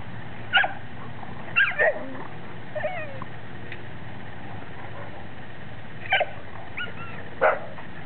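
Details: Playful female Labrador Retriever making short high whining yips and whimpers in scattered bursts, some rising and bending in pitch, with quiet gaps between and a steady low background hum.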